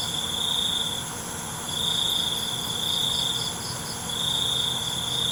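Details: Cricket song at night: two long shrill trills broken by a short pause, over an unbroken hum of other insects.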